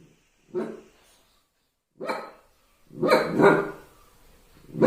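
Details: Puppy reacting to its mirror image for the first time: rougher, lower barks and a drawn-out growling bark run together, getting louder toward the end.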